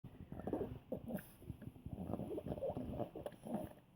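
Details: Scooter, an old Poodle, grunting like a little pig while eating something yummy; soft, low snuffling grunts come in quick, uneven bursts throughout, with faint chewing-like clicks between them.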